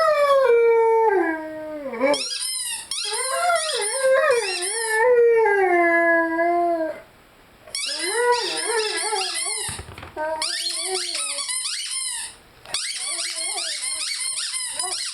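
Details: Howling Rhodesian Ridgeback named Lyle with his favorite squeaky toy, opening with a falling drawn-out howl, then choppy warbling howl phrases separated by short silences, squeaky high tones overlapping.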